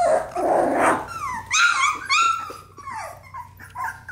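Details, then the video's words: Australian Labradoodle puppies, four weeks old, during playtime: a rough growly scuffle opens, then high falling whines and squeaky yelps follow in short separate bursts. "Ruby & Finn's Puppy Playtime @ 4 weeks old!"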